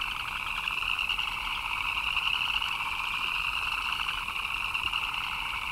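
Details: A rainy-night frog chorus of countless overlapping chirps, forming a constant buzzy trill with a brighter upper band that swells slightly midway, rain patter audible underneath.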